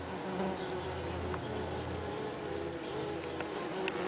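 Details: Saxon wasps humming at their nest in a nest box on 30 June 2010, a hot day when workers opened holes in the envelope for ventilation; steady low buzzing with a deeper hum early on and faint clicks.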